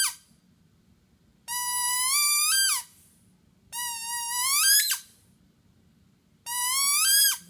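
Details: Pet Basset hound Penny, five and a half years old, almost breaks into a howl for the first time. Three long, high, rising whine-howls, each around a second long, are separated by short silences in a quiet room.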